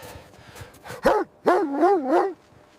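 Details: Puppy playing on grass gives a short yelp, then a drawn-out wavering whine that rises and falls, with a man speaking softly nearby.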